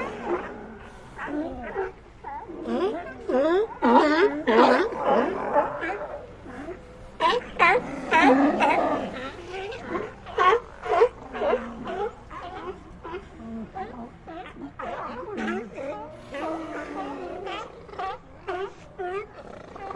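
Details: Sea lions in an ambient recording calling almost continuously: a busy jumble of short harmonic barks and yelps from many animals, rising to loud dense stretches and easing off toward the end.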